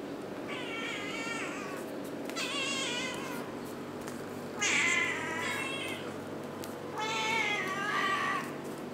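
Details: Domestic kittens nursing from their mother indoors give four drawn-out, harmonic meows, each lasting about a second and rising then falling, spaced roughly two seconds apart over a steady low room hum.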